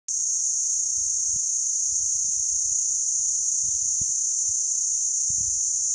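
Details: Cicada in the Meerkat Magic Valley Reserve on 19 December 2017, a scorching day over 43 °C. A deafening, unbroken high-pitched buzz holds steady throughout, with faint low rumbles underneath.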